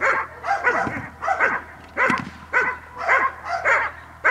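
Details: Dog in training on 5 May 2015, giving repeated loud barks roughly every half second in a fairly steady run, each bark harsh and clipped with a quick falling tail.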